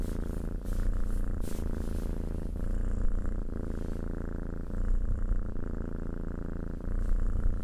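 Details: Low, even purring from a cat, a throbbing rumble with gentle rises in loudness every couple of seconds and a few faint clicks or rustles.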